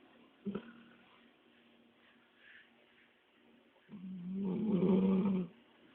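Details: Snoring Labrador Retriever resting after a lengthy walk; a short snort at the start, soft breathing, then one long loud rattling snore with a steady low hum lasting about one and a half seconds, then quiet.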